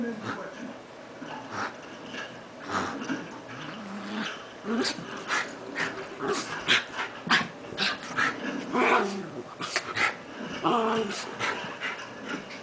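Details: Two Miniature Schnauzers growl and snarl in bursts during rough play and wrestling, with yips and scuffling between.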